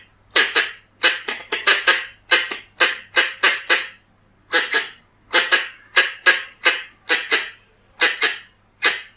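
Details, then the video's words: Calls of Pallas's squirrel, the red-bellied squirrel, used to lure the animal: rapid rasping chucks, often in pairs or triplets, with a short pause midway, against a quiet low background hum. "ສຽງກະຮອກທ້ອງແດງ ສຳຫຼັບຕໍ່ tiếng con sóc bựng đỏ เสียงกระรอกท้องแดง"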